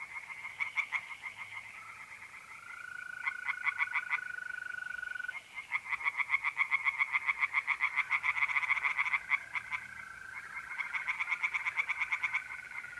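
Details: Pond tree frogs singing at night in mid-April, north-eastern Italy: bursts of hard, quick-fire pulses start and stop across the chorus, with a long, smooth, level mole cricket trill running beneath them.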